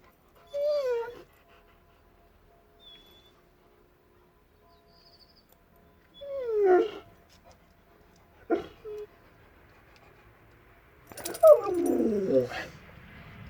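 A Rottweiler gives short, moaning howls that slide downward in pitch, repeated several times.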